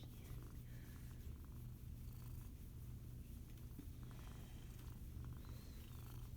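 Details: A 15-year-old female Siamese mix foster cat that loves to be petted purrs in a steady, low, continuous rumble throughout, with only faint background noise.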